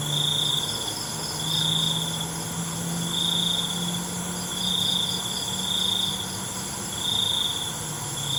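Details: Crickets calling at night: high trilled bursts about a second long recur through a thick insect drone, with a low steady hum beneath.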